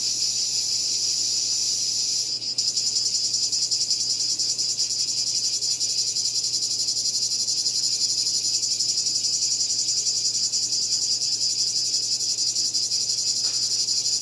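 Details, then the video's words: Cicadas calling: a loud, continuous, high-pitched shrill buzz with a fast, even throb. Upper overtones drop out briefly just after two seconds, then resume. No other clear sounds. "Cicada Called || ឪរៃអើយរៃយំ"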